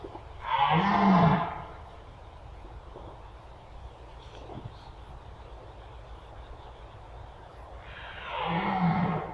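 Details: {'caption': 'Red deer in the Mazovian forests of Poland, two hoarse, low, groaning roars about seven seconds apart, each lasting roughly a second, over a steady hiss of background noise.'}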